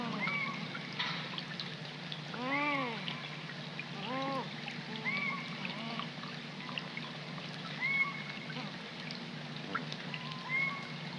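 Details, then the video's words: Young coypus crying after dark by a pond in the rain, March 2020: several short arched wailing calls in quick succession, mixed with thin high whistled notes and the hiss of steady rainfall. "RAGONDINS/Cris de Jeunes/Myocastor coypus"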